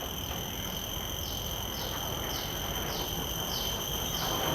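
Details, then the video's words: Common cicada in a field recording made with Sennheiser 416 and Deity S Mic-2 shotgun microphones on a Zoom F3: a steady high whine with strong upper bands, overlaid by short rasping pulses repeating roughly every 0.6 seconds. "Calls of a Common Cicada"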